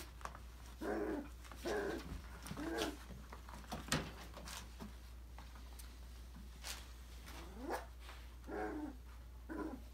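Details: Five-week-old Australian Labradoodle puppies from a December 2020 litter play in an indoor enrichment playground. Short harmonic yips and whines come in bursts about once a second, with scattered clicks and thumps between them.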